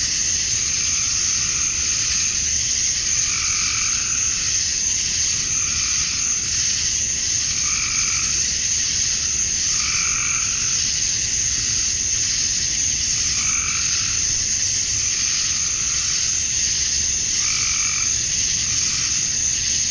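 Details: Georgia, USA, summer evening: male cicadas sing to draw females, a constant sizzling drone overlaid by short, lower, pulsed calls that repeat roughly every two to three seconds.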